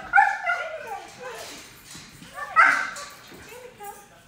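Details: Black Labrador Retriever named Bailey, a five-month-old puppy in off-leash training, gives high whimpering yips and a short bark, rising and falling tones in two bursts, with a person talking in the background.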